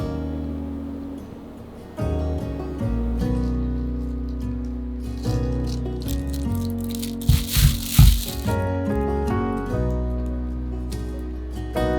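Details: Music with plucked and rattling instrument tones fills the room, with no animal voice heard.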